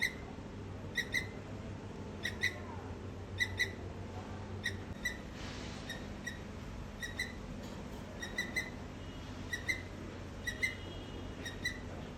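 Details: Squirrel calling on a rainy day: short, high chirps come singly or in pairs about every second, over steady hiss and patter of rain.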